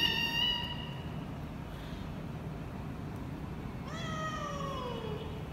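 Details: Mother cat in Vietnam, her kittens held at a cat meat shop, meowing loudly: a long steady tonal meow, then after a quiet gap a second meow that bends upward and slides slowly down, over a low rumbling background.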